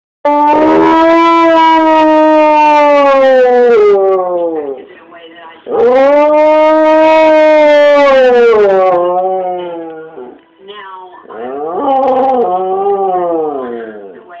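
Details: Ludde, a pet dog, howls like crazy on hearing the tunes from an ice cream van: three long, loud, tonal howls, each sustained several seconds, the last one wavering and breaking, with short quiet gaps between.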